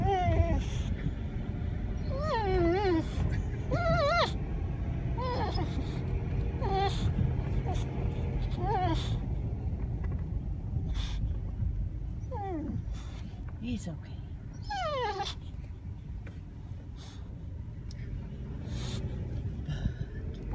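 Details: Boxer dog seeing an elk herd for the first time, letting out repeated high, rising-and-falling whines and yelps in bursts, over steady engine rumble with people talking calmly.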